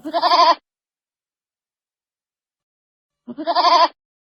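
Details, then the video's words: Two short, quavering bleats from baby goats, each about half a second long and spaced roughly three seconds apart, with silence between them. "baby goat sounds"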